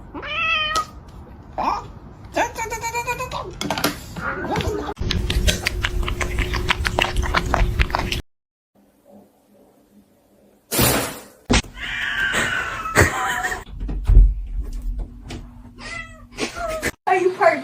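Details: Domestic cat in a funny-cats compilation giving several short, harmonic meows that rise and fall, scattered through people talking, with faint music, a brief silent gap midway and sudden loud bursts of noise.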